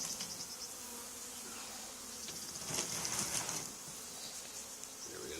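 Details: Swarming honey bees clustered on an old barn wall during removal, two days after a nearby hive cutout. A continuous, thick buzzing drone swells slightly in the middle and then settles back to an even hum.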